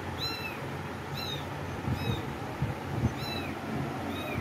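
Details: Faint, thin meows from cats, about four short falling cries spaced roughly a second apart, partly masked by a heavy low rumble and soft thumps.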